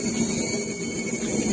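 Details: Cicada gives a steady, thin, high-pitched unbroken whine over low rumble in urban forest at Taman Tugu, central Kuala Lumpur, heard along a forest trail.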